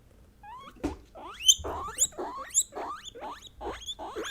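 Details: Three female guinea pigs (Peruvian, English and Teddy), kept as pets, calling, a sound said to express their feelings: a series of loud, sharply rising whistled squeals, about two per second, climbing steeply with bright upper overtones.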